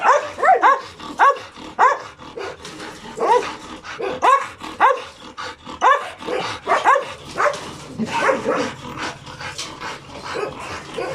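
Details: Two hyper dogs barking excitedly, reacting to insects, birds and voices; rapid, irregular bursts of sharp yelping barks with rising-falling pitch, close together throughout, some whimpering notes between.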